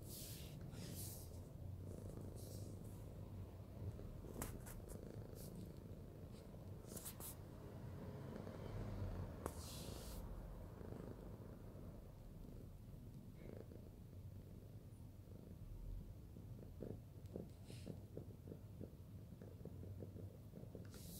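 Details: Purring from a fluffy house cat during cuddling: an even, deep, pulsing rumble that carries on unbroken, overlaid by intermittent rustling and soft scratching from fur and fabric.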